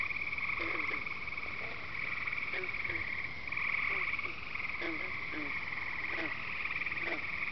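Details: Frogs and peepers calling at night at Devil's Lake, Wisconsin: a dense, continuous high trilling chorus with scattered short, low clucking notes repeated irregularly, all fairly quiet.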